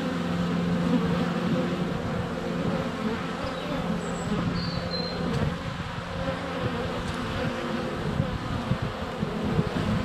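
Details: Honey bees in flight at a hive entrance in February sunshine, filmed up close on a GoPro Hero 7 Black: a dense, steady low hum with droning tones, brief high bird chirps around four to five seconds.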